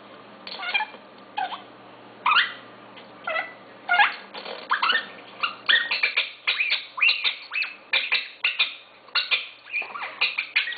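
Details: Rex, a pet dog known for barking with a chirp, giving a long run of short, sharp, high chirping yelps, some rising or falling in pitch, irregular at first then coming faster and closer together.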